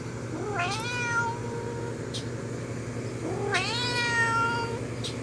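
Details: Pet cat calling to a friend outside the window, giving two long meows about three seconds apart, each sliding up then gently down with bright harmonics, against a constant low hum and a few faint clicks.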